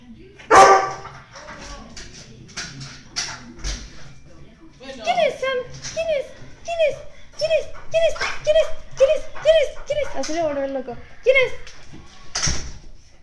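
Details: Excited Weimaraner greeting a person who has just arrived: a run of short, tonal whimpers repeated about twice a second, each bending upward then falling, mixed with a few yips while a woman talks to the dog in Spanish.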